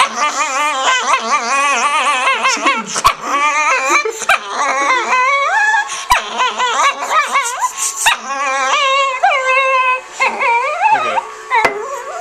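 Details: A female dog giving a long run of wavering, howl-like whines and yips, rising and falling in pitch almost continuously, with a few sharp knocking sounds between phrases.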